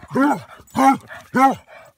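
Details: Basset Hound named Otto on his tenth birthday, barking while romping with another Basset Hound, Igor, at a dog park: three loud, deep, harmonic barks spaced about half a second apart.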